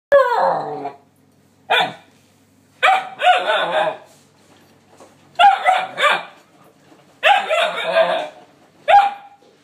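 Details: A 9-week-old male Alaskan Malamute puppy gives sharp, high yappy barks and grumbling yelps in irregular bursts, telling off cleaning appliances he dislikes.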